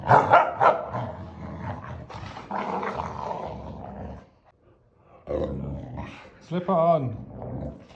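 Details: Boxer dog at home asking for what it wants, answering a person with throaty growling grumbles, then a short rising whine-like moan; a person's speech mixes in.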